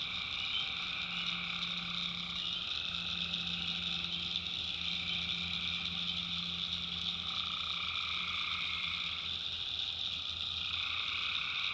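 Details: Tree frogs calling at night in the backwoods of North Carolina: a dense, unbroken chorus of overlapping high trills in several stacked bands, some layers dropping out and returning every few seconds, with a faint low hum underneath.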